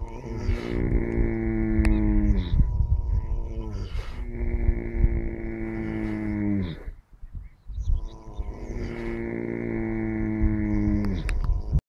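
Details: Horse asleep, snoring loudly in a steady cycle of drawn-out, moaning breaths about three to four seconds long. The breaths sound throaty and harmonic, each falling slightly before a brief noisy catch of air.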